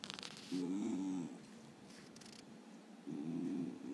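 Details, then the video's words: A male Basenji, deliberately pestered awake, "wakes up bad" and gives two low, throaty grumbles of about a second each; one grumble follows a sneeze. "Basenji grumbles."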